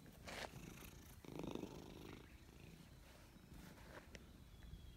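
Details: A grey stray cat, petted, purrs loudly with pleasure: a low, rumbling, continuous vibration with a louder surge partway through. Rustling touches and faint outdoor noise are also heard.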